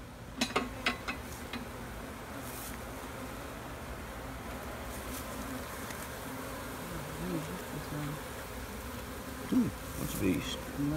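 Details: A hive of honeybees hums continuously as a beekeeper inspects frames and spots queen cells; low droning buzz with sharp taps and knocks near the start and end.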